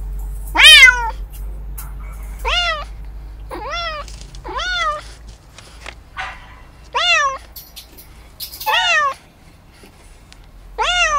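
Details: Short bright meows from kittens at play while practising hunting, about eight of them, each a quick rising-then-falling harmonic sweep, irregularly spaced over a faint low background hum.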